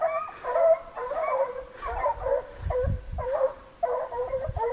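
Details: Six American foxhounds in full cry behind a deer on a hunt: clear, drawn-out bays with bending pitch come in bursts about once a second, several dogs overlapping, faint low thumps in between.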